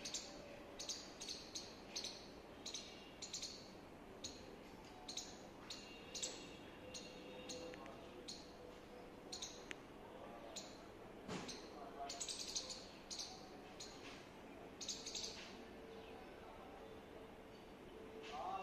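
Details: A squirrel in India gives sharp, high chirps in quick, uneven bursts over a busy background hum.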